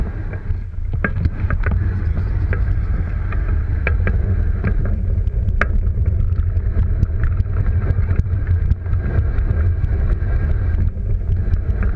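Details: Steady low rumble of wind and movement, with scattered sharp clicks and knocks throughout and no animal voices.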